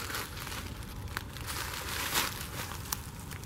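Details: Crinkling, rustling handling noise with faint crackles and no animal voice, recorded while searching for snakes and salamanders in Chicago.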